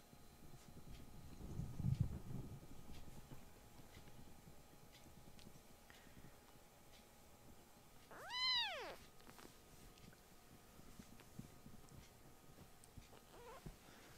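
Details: Rescued foster kittens whose loud voices and rough play startle their older brother cats indoors; one clear, tonal meow rises and then falls over about a second midway through, with soft rustling and handling noises around it.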